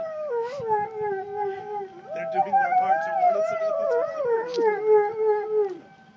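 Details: Two pet dogs howling in reaction to tornado sirens: long wavering tones sliding up and down, overlapping voices rising and falling for about six seconds, with a steady siren-like tone underneath and faint human speech.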